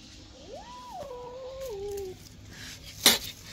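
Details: A two-month-old kitten lets out one clear meow that climbs quickly, holds, then steps down in pitch, followed by a sharp tap.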